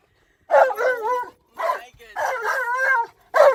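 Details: Alaskan Malamute named Tonka, excited while being driven around a park, howling loudly: four wavering, yodel-like howls, each under a second, rising and falling in pitch with brief silent gaps between them.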